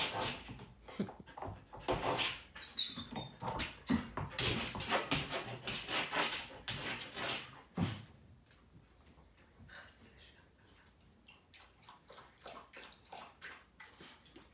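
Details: German Shepherd kept busy indoors, giving a dense run of sharp whines, yelps and squeaky sounds for about eight seconds, roughly one a second, then fading to soft rustling and quiet movement in a small room.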